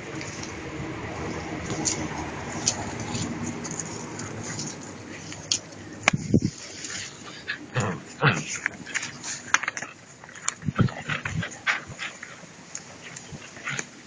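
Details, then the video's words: Two-month-old puppies tugging at a rag during prey drive training give scattered short whimpers and yips amid rustling, clattering play noises, with people talking in Spanish in the background. "Puppies playing whit a rag - pray drive training"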